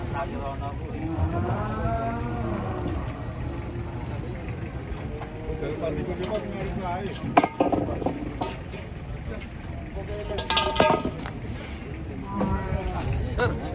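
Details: Cattle lowing at the Grabag market during truck loading: several deep, bending moos in the first six seconds, then more calls later, with people talking, clanks and vehicle noise behind.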